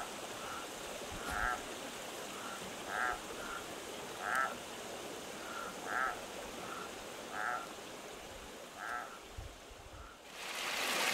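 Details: Frog calling at night by a flowing creek in a remote desert canyon, recorded close up: a steady run of short, reedy croaks about once a second, ending in a loud rushing burst of noise.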